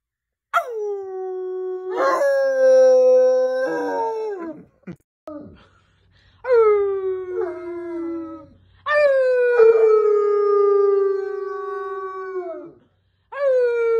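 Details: Bloodhounds howling, which dogs of this breed mostly do when excited as a way of communicating; several long drawn-out howls that sweep down and then hold steady, each lasting one to four seconds, separated by short silent gaps.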